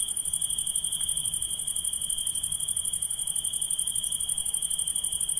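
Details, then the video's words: Insects calling at night, giving a continuous shrill tone held at one pitch with a fainter, very high, rapidly pulsing hiss layered above it, steady for the whole stretch. "Relaxing Insects Sound"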